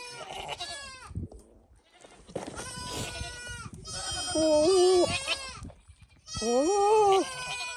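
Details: Male Nigerian Dwarf goat that got out of his pasture, flirting with the female goats: three long, strained, quavering bleats, the later ones bending up then down, separated by short gaps, with music in the background.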